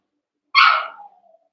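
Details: Cavalier King Charles Spaniel puppy, one of eight young pups wrestling and playing together in a puppy pen, gives a single sharp, high yelping bark that trails off into a falling whine.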